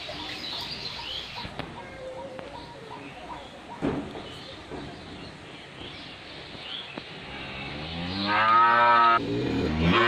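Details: Friesian heifer, 13 months old, on a dairy farm in Pabna, Bangladesh: a single loud, drawn-out harmonic moo near the end, after quieter farm background with faint clicks and murmurs.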